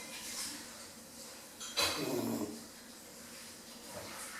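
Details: Bambi, a 10-week-old female Rottweiler puppy, sneezes while asleep: one sharp, explosive burst followed by a short, low nasal tone, then quiet breathing in a calm room.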